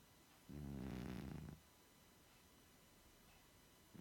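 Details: Snoring from a 16-year-old cat lying asleep on a sofa: one long, low, buzzy rasp of about a second, then quiet before the next breath begins.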